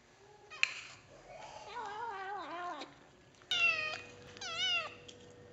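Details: Kitten meowing while eating, indoors: a few short harmonic mews rising and falling, then two louder wavering meows near the end, with a steady faint tone in the background.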